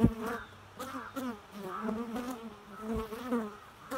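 A bee's steady, droning buzz that wavers up and down in pitch as it moves about.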